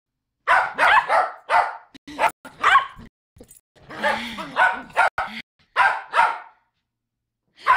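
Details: Poodles barking at a reunion: a rapid run of sharp, bright barks in quick bursts, a brief pause, then another volley of overlapping barks, with a low voice briefly heard in the middle.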